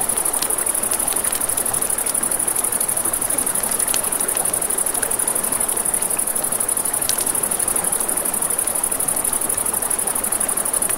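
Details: A cricket chorus by a river after dark: a thin, unceasing high trill with fast even pulsing. Campfire crackles and scattered pops sit over a steady rushing-water background.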